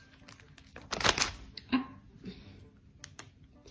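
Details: Indoor crinkling and rustling noises with soft clicks and a short thump in a small room, plus faint background music; no animal voice is heard.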